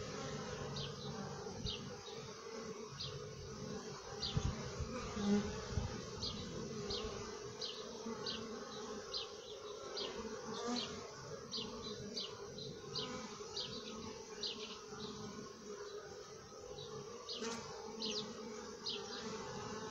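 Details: A dense, continuous hum rises from honey bees in their hive, low and rich with overtones. Brief high-pitched ticks repeat regularly throughout the twenty seconds, with occasional louder bumps.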